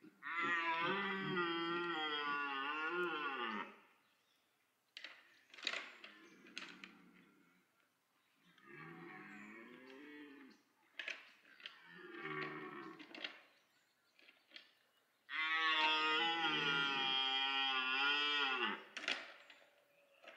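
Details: Autumn rutting red deer stag at Parc Sainte-Croix, roaring to attract females amid pursuit and fights; two long, rough, strongly harmonic bellows of several seconds each bracket shorter grunting groans and scattered knocks between them.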